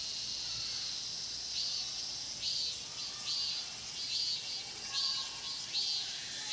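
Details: Cicada chorus in the Mokgye pine grove, Cheongsong, Korea: a constant high hiss overlaid by louder rasping pulses repeating roughly every 0.8 seconds.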